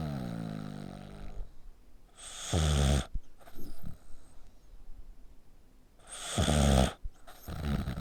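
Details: Dog asleep with its neck pressed tight, snoring like a human. Two heavy, rasping snores sit about four seconds apart, with a fading drone at the start and short snorts and breaths in between.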